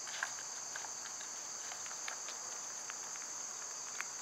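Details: Steady shrill drone of cicadas in summer, underneath scattered light clicks and patters, perhaps footsteps, and brief bird chips.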